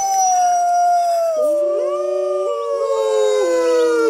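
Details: Howling Mackenzie Valley wolf of northwestern North America: a clear tone sinking slowly, with other voices entering and stepping up and down in pitch beneath it, a layered chorus.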